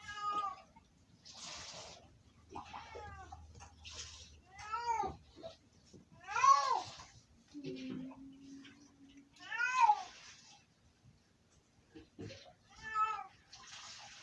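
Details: Domestic cat named Sofie screaming indoors: a run of loud arched, harmonic-rich meows, some long and wavering, repeated at uneven intervals, with brief breathy noises and a low hum between calls.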